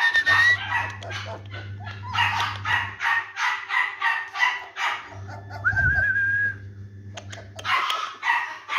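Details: German Shepherd puppies at a kennel in Delhi, India, giving high, thin whines and yelps in quick bursts, with a short rising squeal near the middle; a steady low hum runs underneath much of the recording.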